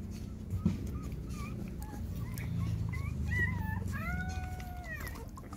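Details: While GiGi nurses her six puppies, scattered short whimpers build into a cluster of rising yelps and a long arched whine, with a low murmur of a person's voice underneath.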